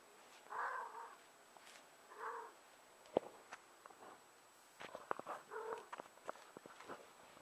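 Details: Four-year-old female domestic cat in heat, uttering soft, muffled yowls about every two seconds, interspersed with sharp clicks and knocks from handling or movement indoors.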